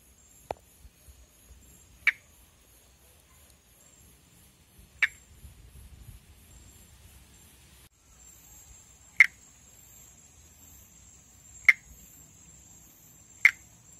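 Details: Calling Pithecopus nordestinus, the northeastern Brazilian monkey tree frog, filmed in amplexus. Six brief tick-like clicks arrive at uneven gaps of two to four seconds, the first faint, over a steady high-pitched drone.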